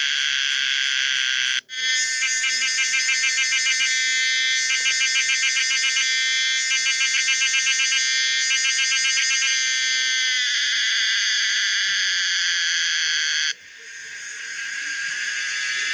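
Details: Common cicada Pomponia linearis producing an electric-sounding buzzing song, with a brief dropout near two seconds, rapid pulsed phrases for several seconds, then a smooth sustained drone that cuts off and fades back in.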